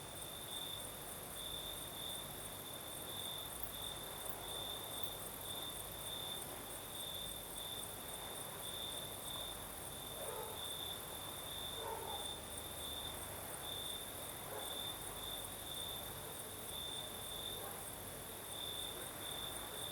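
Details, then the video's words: Night chorus of crickets in the south of Crimea, a continuous high ringing trill pulsing in brief brighter bursts, set against a broad rushing breeze; faint soft sounds drift through midway. "Сверчки поют"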